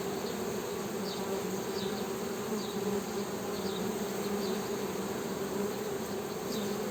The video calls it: HONEY BEE'S HUMMING SOUND